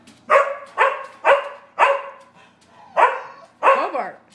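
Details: A Sheltie, a Collie and a French Bulldog bark at a squirrel on a rainy day in March; six loud, sharp barks in an uneven series about half a second apart, with a man talking.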